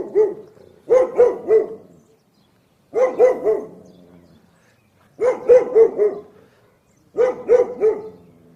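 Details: Barking pit bull: four bursts of three or four quick, mid-pitched barks each, roughly every two seconds, with short quiet gaps between bursts.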